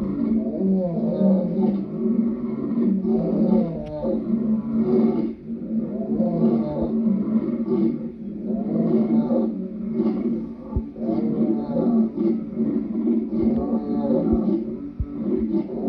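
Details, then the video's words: Lion roaring in long, continuous, throaty bellows that rise and fall repeatedly, deep and rough, with barely any pause between surges. "Lion sounds"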